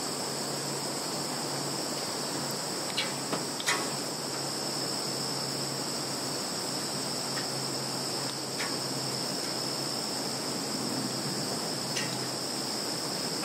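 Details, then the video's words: Chorus of field insects recorded on a Samsung Galaxy phone in Kaluga region, Russia, 11 September 2019: a constant high shimmering trill in stacked bands, with scattered light taps and a faint low hum beneath. "Sounds of insects in field"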